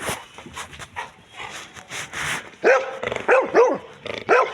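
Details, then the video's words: Labrador Retriever dog barking: after a stretch of soft scuffing sounds, four loud, sharp barks come in quick succession over about two seconds, each a short, harsh burst with a rising-then-falling tone. "Labrador Dog Barking"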